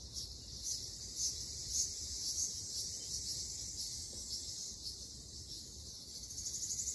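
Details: Ryukyu large brown cicadas in a summer Okinawan forest give a continuous, high-pitched hissing drone at moderate distance. A few brighter accents appear, and faster pulsing is heard near the end.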